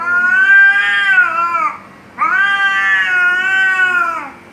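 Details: Cats fighting and threatening each other: two long, loud, wavering yowls, each about two seconds, rising then sagging in pitch with a strained, nasal tone and a short pause between.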